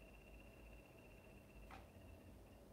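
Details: Pet bumblebee dart frog calling indoors in the background during a live stream: a faint, steady high trill holding one pitch for almost two seconds, broken by a short click, then resuming briefly, over constant room hiss.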